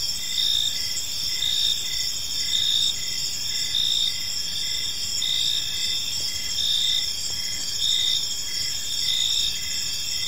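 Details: Chorus of crickets in a park as evening falls, high continuous trilling from multiple insects punctuated by regular louder chirp phrases about every second, light background hiss.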